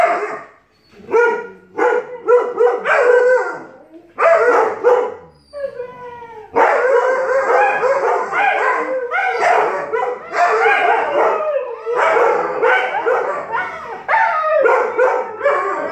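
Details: Siberian Husky and Alaskan Malamute puppy in a long vocal argument that turns into howling: rapid overlapping harmonic yowls, grumbles and drawn-out howls trading back and forth, with brief pauses between bursts.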